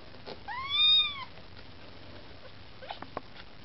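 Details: A Maine Coon kitten, one of mother Lakshmi's litter, begs for food with a single loud, clear, arched mew lasting under a second, followed by faint clicks and rustles in a quiet room.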